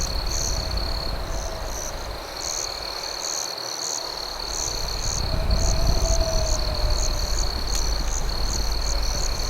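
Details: Crickets chirp through the night at a campfire: a steady shrill ringing with quick pulsed chirps. The fire noise dips briefly and then swells, and a faint wavering hum is also present.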